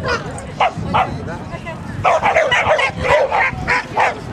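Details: Border Collie during an agility jumping run at Newark Showground, Border Collie Club of GB graded competition, March 2010; loud, quick yipping barks in bursts of about three per second, with people talking in the background.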